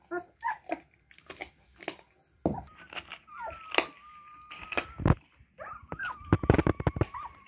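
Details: Siberian Husky puppies seeking attention as people come near: scattered yips, then long, thin, steady whines held at one pitch, broken by sharp bangs and scuffling noises.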